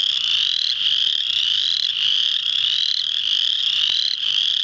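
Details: Spring peepers calling in full chorus, Muscatatuck National Wildlife Refuge, Indiana, March 7, 2009; shrill, short rising peeps pile over one another in a constant high-pitched din, with upslurred notes standing out roughly every second.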